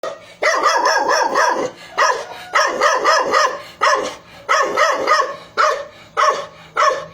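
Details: Dog barking in quick bursts of two to four sharp, harsh barks, with short pauses between groups, about thirty-five barks a minute, loud and close.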